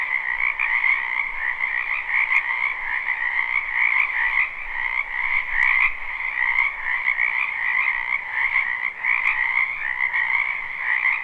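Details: Frogs massed in a spring wetland behind a home, captured live and unlooped: constant rapid, grating trills swell and fade slightly in loudness over a faint low background, with occasional brief clicks.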